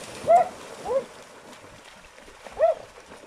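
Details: English Springer Spaniel. Short, high-pitched yelping whines come from an English Springer Spaniel, two close together and a third after a pause. Each rises and falls quickly, set against a constant low rushing noise.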